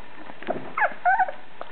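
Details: Blue Thai Ridgeback puppy giving a brief high whimper, two quick wavering squeals in under two seconds, with faint background rustling.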